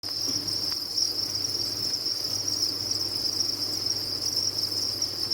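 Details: Captive crickets kept on a cricket farm, many calling together: a dense, unbroken high-pitched trill that holds steady throughout, with a faint low electrical hum underneath.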